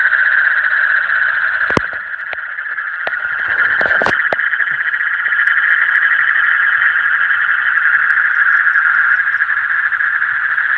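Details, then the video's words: Frogs calling in the deep night: a dense, steady chorus of pulsing, trilling calls forming a continuous mid-pitched drone, with a few sharp clicks and knocks around the second and fourth seconds. "Call of the frog in the deep night"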